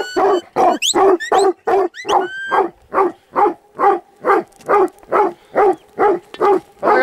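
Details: Steady, rhythmic barking from a Huntaway, deep and full-bodied, roughly two to three barks per second, with a few sharp rising whistles over the early barks.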